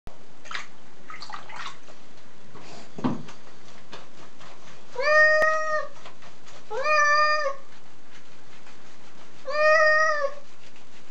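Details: Domestic cat being bathed after dust-bathing in the garden, giving three drawn-out, harmonic meows about two seconds apart in the second half, after scattered clicks and rustling sounds.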